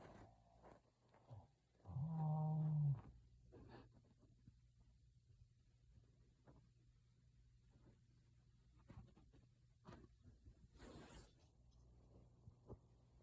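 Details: Pet dog asleep and snoring loudly enough to frighten its owner: one deep, rough, rumbling snore at about two seconds, then quieter breathing against faint indoor room noise.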